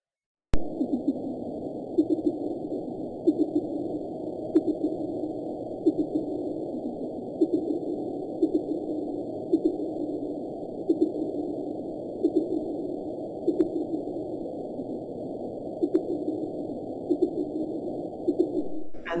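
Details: Fin whale calls recorded on an underwater hydrophone off Washington and Oregon, sped up so the low pulses can be heard: regular short thumping pulses repeating roughly every one to two seconds over a steady hiss of ocean noise.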